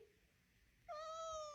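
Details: Domestic cat in a compilation of dramatic cats freaking out over nothing, giving one long, steady, drawn-out meow that starts abruptly after a quiet stretch and holds an even pitch to the end.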